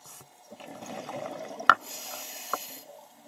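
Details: Loggerhead sea turtle snorting: a breathy, watery rush of air for about a second, a sharp burst, a hiss of higher air, then a second short knock, with water sounds around it.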